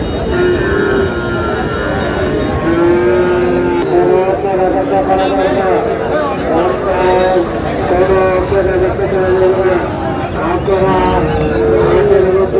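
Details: Sahiwal breed bull calves at a busy cattle market, 18 June, a Noakhali farmer buying; several held, level moos rise out of loud market hubbub, with traders shouting prices and vehicle noise behind.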